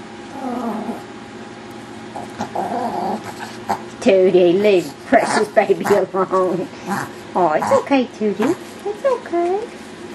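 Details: Several Yorkshire Terrier puppies romping wildly together, giving a run of wavering whines, yelps and little growls in quick irregular bursts, with human voices in the background.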